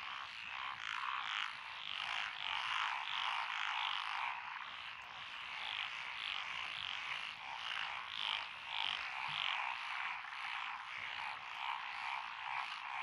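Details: Lotus paddy frogs in Echizen, Fukui Prefecture, Japan, on 12 June 2021, a mix of tree frogs, pond frogs and wrinkled frogs. Many voices give rapid, rattling croaks that swell and fade in steady waves throughout.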